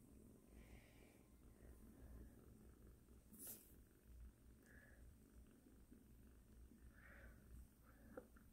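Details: Kitten named Sarang (사랑이) at home with its first bed, giving a soft, steady low rumbling purr throughout, with faint background voices and a few brief higher squeaky sounds around it.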